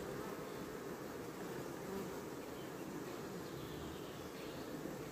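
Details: Honey bees of a swarm caught on 14 May and housed in a skep, hard at work building new comb: a steady, dense, even hum throughout, with no clear breaks.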